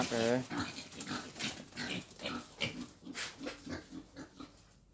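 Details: Wild boar being taken for breeding: a short tonal squeal opens, followed by a run of rough, rhythmic grunts roughly three per second that fade toward the end, with human voices nearby.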